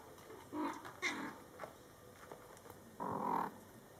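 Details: Indoors with Scottish Fold kittens born July 22, 2012, mother cat Coco talks to her litter: two short, slightly brighter mews, a pause, then a longer steady meow near the end.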